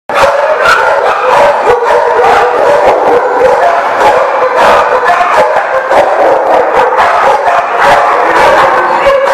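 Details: Several dogs barking together, recorded 20 August 2018; a dense, nonstop chorus of overlapping sharp barks with no pauses between them.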